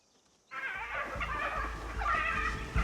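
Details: Hyena distress calls in South Luangwa National Park, Zambia, near a wild dog pack with pups: high, wavering squeals and whining cries, loud and continuous after a brief silence, possibly several hyenas.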